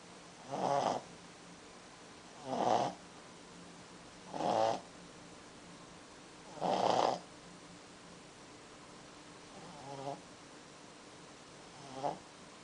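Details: Pekingese dog taking a nap indoors, snoring in soft, breathy rasps that come roughly every two seconds, six in all, the last two fainter.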